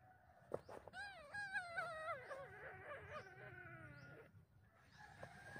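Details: Mother cat with her little kitten, hugging it intensely then attacking it; a drawn-out wavering wail that rises, wobbles and slowly falls over about three seconds, faint against a quiet background.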